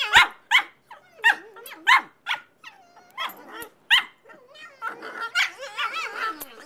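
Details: Casey and Charley, two puppies aged 5 and 8 months, being silly together: sharp high barks in quick bursts, then lower growly yaps and whiny, sliding vocal noises as their play continues.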